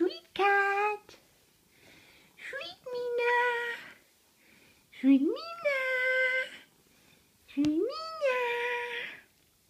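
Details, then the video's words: Mina the pet cat, who sometimes comes when called, meowing indoors: four rising, then level, harmonic meows, each about a second long and spaced roughly every two to three seconds, with a person talking softly between them. "Mina the Cat"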